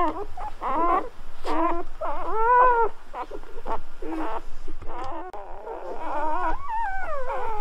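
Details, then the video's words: Freshly born Golden Retriever pups squeaking and whining, short broken chirps early then longer gliding, wavering whines later, with a faint low hum underneath. "Birth of Golden Retriever Puppies with Orignal Sounds"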